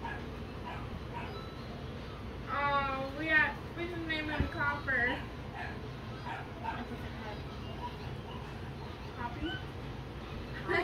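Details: Newly arrived miniature Dachshund puppy at home, giving a run of high, quavering whimpers and yips in the middle, partly overlapped by people talking and soft background music.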